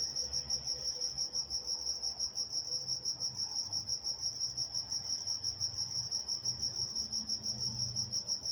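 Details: A chorus of night crickets in Walnut, California keeps up a continuous high, pulsing chirp at a brisk even tempo, with a faint higher harmonic and low distant hum beneath.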